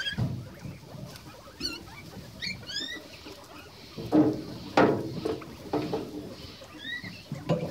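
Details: Guinea pigs at breakfast time give short, squeaky whistles that rise in pitch. They come in quick pairs and triplets early on and again near the end, over constant chewing, rustling and knocking noise.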